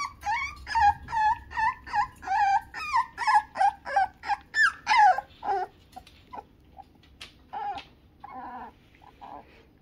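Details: Two-note squeaky whines from six-week-old Toy Poodle puppies said to be mad, repeated about two or three times a second in a steady run, then trailing into softer scattered whimpers.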